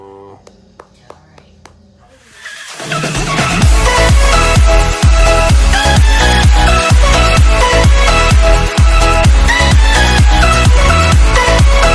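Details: Quiet thumps give way to loud electronic dance music with a steady beat, and no animal voice is heard.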